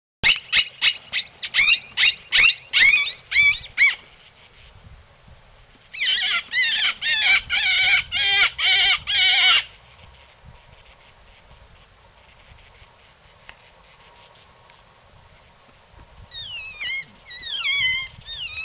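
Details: Coyote calling: a run of rapid, sharp, high yips for about four seconds, then a second dense burst of yips. After a quieter gap come wavering, sliding yelps near the end.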